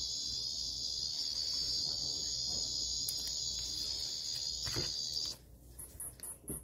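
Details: A Japanese cicada's shrill continuous buzz holds steady for about five seconds and then cuts off, followed by short, very high chirping pulses repeated about twice a second.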